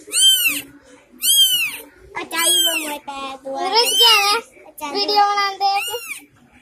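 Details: Three kittens born in a home, crying: a series of high, arching mews, about six in under seven seconds, some drawn out and wavering, with short quiet gaps between cries and a faint steady low hum underneath.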